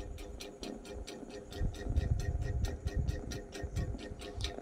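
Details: Music with a steady ticking beat and low bass plays throughout, with no meowing or other animal voice heard.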